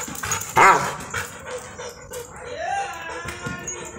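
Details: An angry Rottweiler, worked up over a football, lets out a single loud, rough bark, then quieter grumbling and a brief whine that rises then falls, with faint music underneath.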